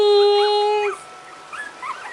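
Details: Puppies: one steady, even-pitched whine held for about a second, then scattered faint high squeaks rising and falling. Background is quiet with soft room noise.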